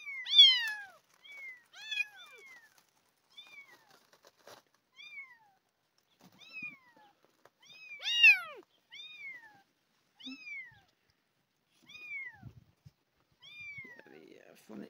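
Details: Abandoned kitten, one of two found crawling on a garden path and meowing loudly from hunger, being fed milk replacement; loud repeated descending meows roughly every second, some with rising-falling shape, with faint handling noises between.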